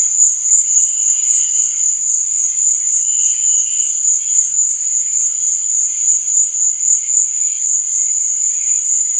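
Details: Crickets in the night: a sustained, very high buzzing trill, rapidly pulsing, with scattered softer chirps lower down.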